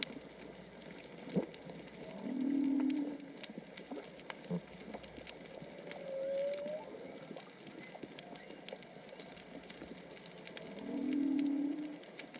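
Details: Snorkeling recording from Onna, Okinawa, with whale song from probably three to four whales: two loud low moaning units about nine seconds apart, a short rising whistle between them, under sea crackle.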